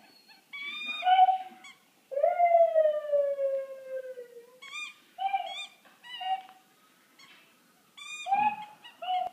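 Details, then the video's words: Pluto, a Wheaten Terrier, howls in long tonal cries. One drawn-out howl slowly slides downward for over two seconds, followed by shorter, rising-and-falling yelping howls broken by brief pauses. "Howling pluto-Wheaton Terrier"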